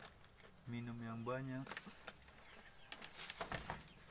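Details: Goat kids, white, brownish and white with brown patches, searching for milk and suckling; a single low bleat of about one second, steady at first, then quavering, followed by rustling and clicking sounds.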